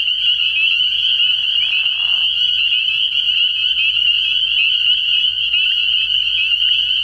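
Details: Spring peepers in full chorus at a frog pond on an early-year night, an intense unbroken high-pitched jingle of overlapping peeps over a faint low hum, with a short lower note near two seconds.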